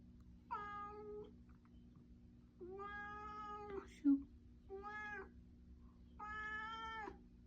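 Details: Stray cat that appeared in a garden in Japan, threatening: four drawn-out, harmonic-rich wailing calls, each about half to one second long, slightly falling at the end, separated by short pauses, with a faint low hum beneath.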